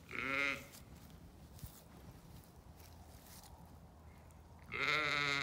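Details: Two short, wavering bleats come from a Zwartbles sheep on an Irish farm in County Kilkenny, where ewes and lambs share a paddock. One opens the recording and one closes it, with faint outdoor hush between them.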